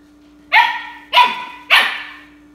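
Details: Siberian Husky puppy named Miska, 13 weeks old, on its first day with a new family indoors: three sharp, high yipping barks about half a second apart, each a bright burst that trails off quickly, against a steady low hum.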